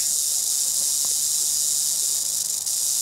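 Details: Rattling prairie rattlesnake in Northern Oklahoma, 2018, after striking at a cell phone taking its picture; a continuous sizzling high buzz runs throughout, with a faint low hum and a few soft knocks underneath.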